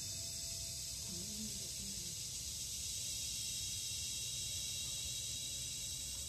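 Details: Kuliglig, the Philippine cicada, calling in forest: an unbroken high-pitched whining drone held at an even level throughout, with a short faint low voice-like sound early on.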